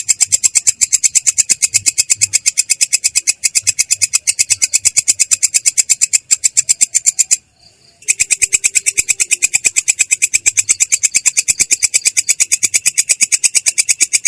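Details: Katydid (belalang kecek) singing in a continuous rolling style (ngerol) with a clear yet coarse voice: fast, even, high buzzy pulses, several per second, with one brief silence just past the middle.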